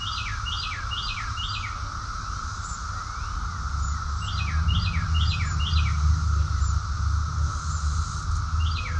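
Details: Cicada chorus recorded in summer, June 2021, in Rockville, Maryland, USA: a steady, unbroken mid-pitched drone runs throughout, while a bird sings repeated groups of four quick, downward-slurred whistled notes over it, with faint high chirps.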